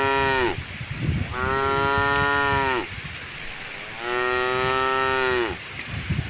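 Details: Gentle tame cow passing through a puddle on a roadside by a forest, giving two long, steady moos of about one and a half seconds each, a few seconds apart, over low background rumble.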